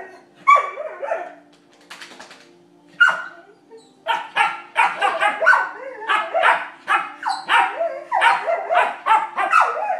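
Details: Playing Vizsla pups, little Penny joining a barking contest: scattered high yips at first, then a rapid run of sharp puppy barks roughly twice a second toward the end.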